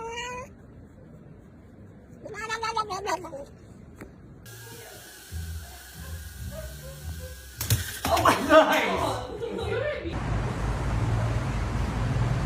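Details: Domestic cats meowing: a rising-falling harmonic meow near the start and another around two to three seconds, followed by loud background sounds, music and mixed household noise.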